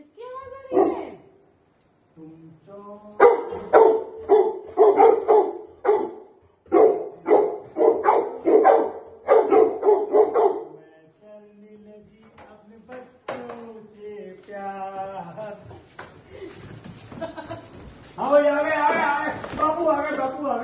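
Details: Two Labrador Retrievers excitedly welcoming their owner back after three days away: a long run of rapid, repeated barks, then rising whines and yelps, ending in drawn-out, wavering whining.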